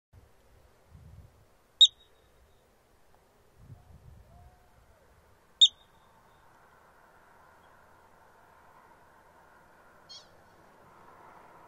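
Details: Yellow-bellied marmot on rocks in Rocky Mountain National Park, Colorado, looking and listening, giving sharp, high, single chirps spaced a few seconds apart, with low wind rumble.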